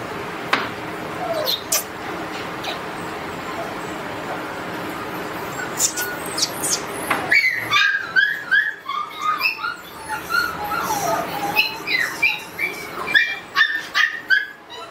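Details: Red-brown Border Collie giving quick high whimpers and short yelping squeaks, bunched densely through the second half, after a first half filled with broadband rustling and handling noise.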